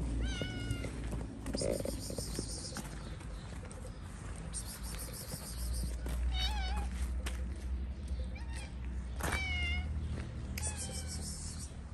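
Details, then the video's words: Stray cats on a Moroccan street meowing for food as they gather to be fed: repeated short wavering meows from more than one cat, over constant traffic noise and occasional hissy bursts. "The cats heard a cat meowing for food, so they all came."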